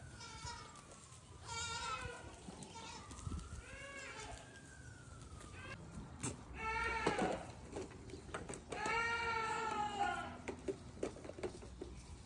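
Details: Baby goats hopping around and eating grass on a farm; several short shaky bleats of varying pitch scattered through the recording, mixed with clicks, rustling and some low background voices.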